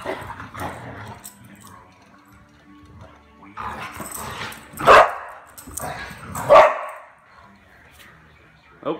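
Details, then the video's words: Ginger, a dog who rarely barks, barking at night while playing with Daisy: two loud, sharp barks about one and a half seconds apart, with softer rustling and muffled household sounds between them. "Ginger Barks at Daisy"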